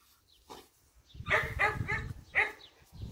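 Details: Female German Shepherd–Malinois cross dog, about one year old, medium size, in Latina province, Italy; a series of harmonic whining yelps, four or five close together, over low rustling and handling noise.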